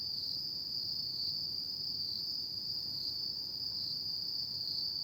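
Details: Autumn insects singing at night in Japan: a steady, unbroken high-pitched trill holds at one pitch throughout, with a faint low background hum.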